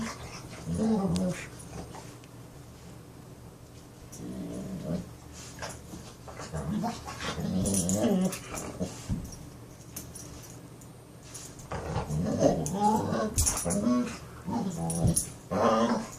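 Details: Australian Shepherd making funny noises indoors: a run of low, throaty growl-moans and grumbles that rise and fall, coming in bursts every couple of seconds, with quiet pauses between.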